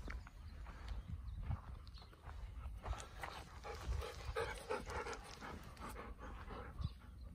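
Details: Golden Retriever outdoors at Kirihata, Japan, keeping watch beside passion fruit flowers during hand pollination; soft rhythmic panting in quick broadband huffs over a low rumble, quiet and steady throughout.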